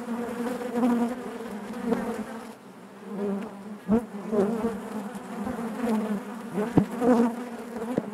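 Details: Hive of honey bees humming together: a thick, droning buzz with wavering pitch, a short quieter dip near the third second, then sharp close wingbeat bursts around the fourth and seventh seconds.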